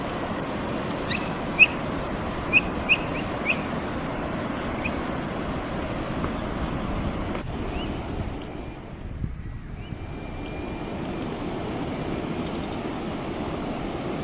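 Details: Feeding Brazilian capybara gives a brief cluster of four or five short, high, upward-sweeping chirps early on; the rest is constant windy, rushing outdoor noise with a low rumble.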